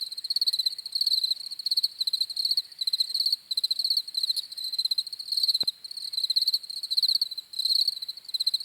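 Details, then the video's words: Crickets chirping in rapid pulsed bursts, bright and high-pitched, with several callers overlapping in a steady rhythm; one sharp click partway through, otherwise a quiet background. "CRICKETS CHIRPING SOUNDS"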